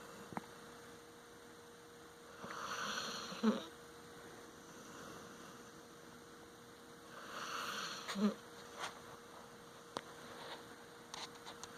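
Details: Moxie, a pet dog, snoring while asleep and very comfortable: two long, breathy, noisy snores about five seconds apart, each ending in a short rattling catch, over a steady electrical hum in a quiet room.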